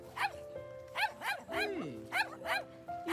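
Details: A mother dog trapped with her whining puppy in a deep hole on a beach barks continuously when humans appear, giving sharp, rising-and-falling barks in quick bursts over a steady music bed.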